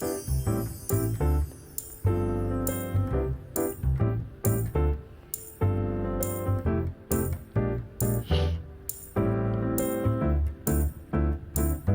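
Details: Only piano music plays, with repeated chords and rhythmic keyboard notes and no animal voice.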